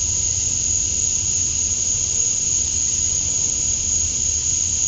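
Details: At dusk on a summer night in Georgia, USA, male cicadas chirp to draw females, forming a continuous sizzling high buzz with a steady piercing tone riding above it, uniform and uninterrupted, with no other sounds.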